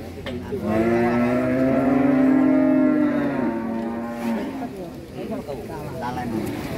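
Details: One long, loud, low bellow, steady and full of harmonics, from an angry cow rushing off a truck. It lasts about three and a half seconds, followed by quieter voices and background noise.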